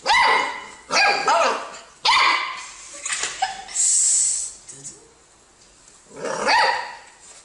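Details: Pet dog indoors, filmed in a playful clip about dogs liking lemons, giving loud harmonic barks and yelps at a fast uneven pace, rising then falling in pitch, with a pause in the middle and a brief high squeak.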